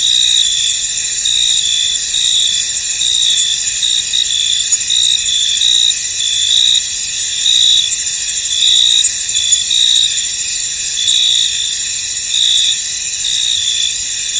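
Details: A chorus of crickets fills a fog-covered field with a constant high shrill buzz; sharper trilled pulses rise above it roughly once a second, irregularly spaced, with no other clear sounds.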